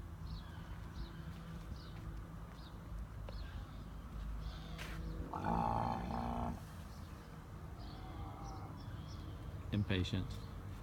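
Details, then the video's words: Two camels, Cleopatra and Knuckles, waiting impatiently for dinner and giving anticipating grunts. A rough, low, harmonic grunt swells mid-way and a brief second grunt comes near the end, over faint background murmur and voices. "Camels making sounds"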